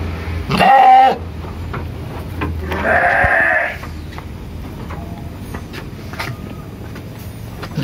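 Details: Village farm sheep in Indonesia calling for food, giving two bleats: a short quavering one, then a longer, rougher, strained bleat, followed by quiet background hum and faint rustling.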